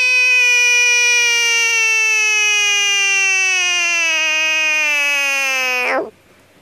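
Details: Defensive frog letting out a continuous, piercing scream of about six seconds, rich in harmonics and steadily sliding downward before a quick final drop, then near silence.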